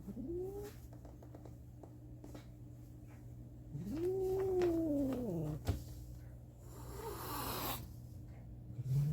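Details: Kitten making strange noises: a short rising squeak, then a longer arched, slightly nasal cry that swells and fades, with later rustling and a steady indoor hum.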